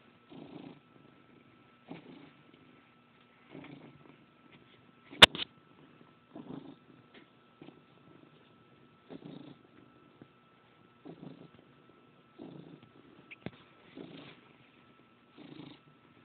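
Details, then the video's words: Pet cat in a very good mood kneading sheets and producing a gruffer-than-normal happy purr, captured by phone; quiet pulsing purr bursts recur about every one and a half seconds, broken once by a sharp loud click. "kneading and purring"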